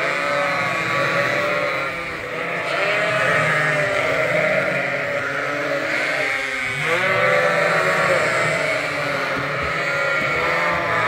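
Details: Lambs at Ewetopia Farms being trained to drink from a bottle in a hand-made feeder, topped up twice a day. A steady chorus of overlapping, quavering bleats runs throughout, with a sharper upward cry partway through.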